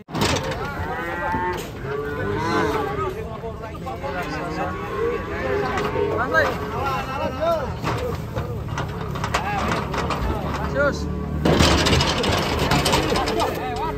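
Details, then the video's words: Agitated cattle raging while being unloaded from a truck, giving repeated overlapping harmonic moos and groans, with engine rumble, clattering and a loud burst of noise near the end. "SAPI SAPI NGAMUK TURUN DARI TRUK"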